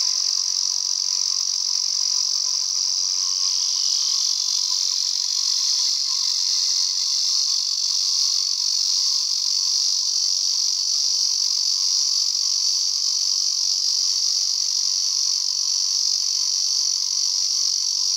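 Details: Steady, shrill electric drone from a male Ezo cicada found on a mountain hike, one continuous high buzz with a slight pitch dip early on, then unwavering to the end.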